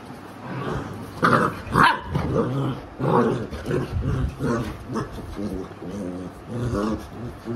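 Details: Alexa, a Labrador Retriever mother, disciplines her naughty puppies with a series of deep, rasping growls that break into short harsh barks, the bursts coming in quick succession with brief gaps and faint human voice underneath.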